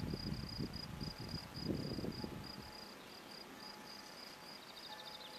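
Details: Field cricket (Gryllus campestris) at a sports field in Brasschaat, Belgium, lost habitat: shrill, high pulsed chirps in a fast series, partly covered at first by low rumbling noise, then clearer, with a brief faint twittering near the end.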